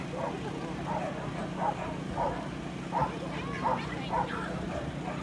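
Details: Corgi at a dog show in Chiba on 23 November 2020, during the female Best of Breed judging: a series of short barks, roughly one every half second to second, over steady crowd murmur and low hum.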